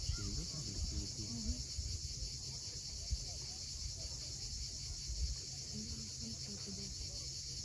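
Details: Cicadas on the steep coast of Cape Fiolent, Crimea, at sunset: a steady, unbroken high hissing drone runs throughout, over a low rumble of sea waves and faint low tonal murmurs.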